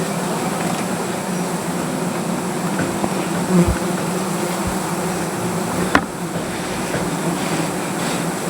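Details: Agitated honey bees at a comb beneath a tree during honey collection, giving a continuous low humming drone with stacked harmonic bands; a sharp knock near the end briefly cuts through.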